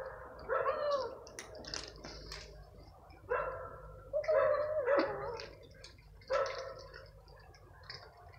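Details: Evening feeding of stray cats turns into a fight over croquettes; strained, warbling growl-yowls come in separate surges, some bending upward then down, with short hissy bursts between and steady low hum behind.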